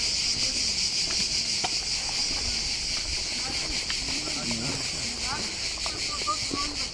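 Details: A cicada's steady, high electric buzz runs unbroken at the Old Fortress in Corfu, Greece, with people talking in Greek nearby.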